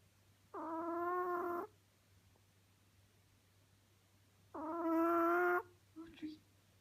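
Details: Audrey, a Chihuahua, snoring indoors: two drawn-out, tonal, wheezy sounds about a second long each, spaced roughly four seconds apart, with faint room hum between them.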